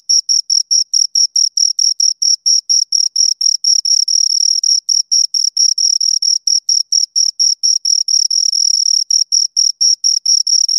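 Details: Two crickets stridulate in rapid high chirps; the pulses sometimes crowd together into brief near-continuous trills where the two callers overlap, then separate again. Nothing else audible.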